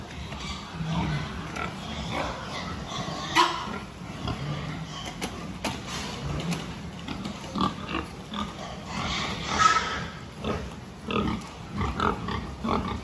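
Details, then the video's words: Pigs grunting and snorting during a farm health check on 26 October 2023, short rough low grunts overlapping irregularly with scattered clicks and clatter in the pen. "Pig health check"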